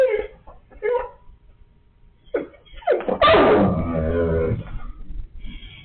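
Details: Indoors, a Siberian Husky talks in a few short yelping syllables, then lets out a longer grumbling, drawn-out moan that slides downward in pitch over about two seconds.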